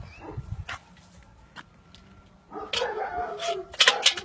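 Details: Aksaray Malaklısı dog at a Malaklı farm in Aksaray, Turkey, giving short high yips and whimpers. A thin steady tone runs beneath, and a louder burst of sharp cries fills the second half.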